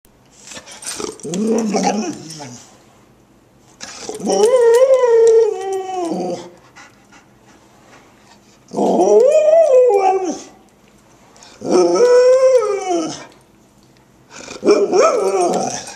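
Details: A Golden Retriever howls in separate drawn-out, wavering bursts, each bending up and down like talking ("woo wo woo").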